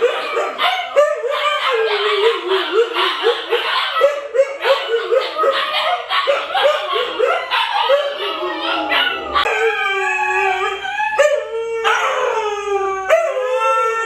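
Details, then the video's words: Siberian Huskies, the dogs Luna, Gizmo, Arya and puppies, in a howling compilation: a dense jumble of overlapping yips and wavering howls at first, then cleaner long rising-and-falling howls with bright harmonics after about nine seconds. "SIberian Husky Howling"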